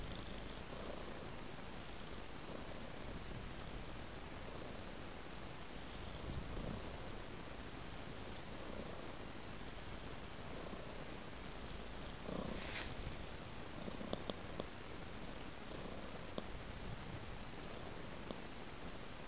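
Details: Continuous low purr from a cat moving along a trail of raw meat, with a brief rustle or scrape near the middle and a few soft knocks toward the end.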